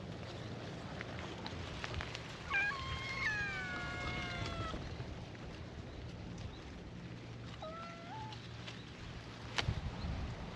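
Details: Stray cats at a cat gathering on a cat island greet a visitor with a chorus of cute meows: a cluster of overlapping harmonic, slightly falling meows, then a single shorter meow later, over a low outdoor rumble.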